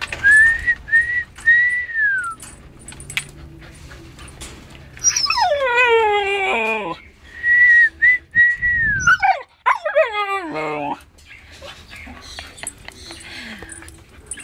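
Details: A Siberian Husky gives howl-like vocalisations: brief level whines, then long wavering howls that slide steeply downward with many overtones, followed by yelping bursts.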